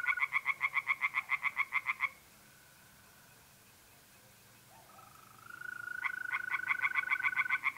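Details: Night chorus of tree frogs in a pond, north-eastern Italy, mid-April: loud rhythmic pulsed croaks, about eight per second, open and close the clip, with a smooth steady mole cricket trill filling the pause.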